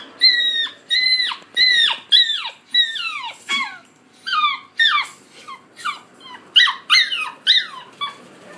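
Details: Steady chorus of squeaky, downward-sliding whines from collie puppies aged 50 and 63 days, filmed 20 July 2013, coming two or three per second throughout with hardly a pause.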